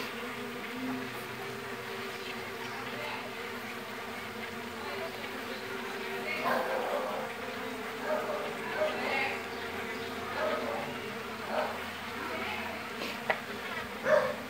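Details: Mandaçaia stingless bees (Melipona quadrifasciata) from a very populous colony with large brood discs, being split into a new colony; steady droning hum throughout, with louder swells toward the end and a person speaking softly.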